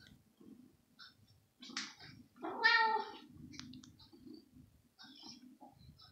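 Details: Young kitten eager for pieces of fresh raw meat, given in the morning instead of usual dry food, gives one loud drawn-out meow mid-way, surrounded by softer chewing and shuffling noises.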